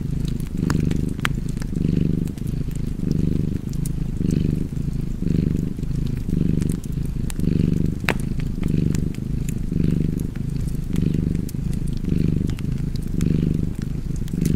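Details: Relaxed cat purring without pause, a soft buzzing rumble in regular in-and-out swells close to one a second, accompanied by occasional popping and crackling of a fire.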